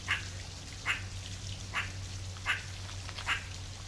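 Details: A meerkat (Suricata suricatta) in the wild gives short, sharp chirping calls, repeated roughly every second over a low steady hum.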